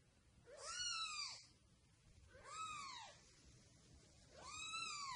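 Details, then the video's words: Domestic cat giving three arched, whining meows about a second and a half apart, each rising and falling in pitch, with soft background hiss between calls. "Cute Cats Meowing Compilation"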